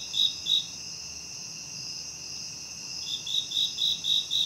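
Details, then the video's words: Nighttime insects in a natural chorus without music: a continuous high shrill drone throughout, with short pulsed chirps about four per second at the start and again in the final second and a half. "Nighttime Insect Sounds"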